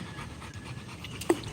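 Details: Quick breathy panting from a Rottweiler at play with balls during a live stream, short rhythmic huffs over a low background hum, ending with a brief sharp knock.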